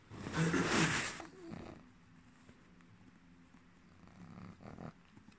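A dreaming Boston Terrier gives a sharp huffing snort, then low, muffled grumbling whimpers.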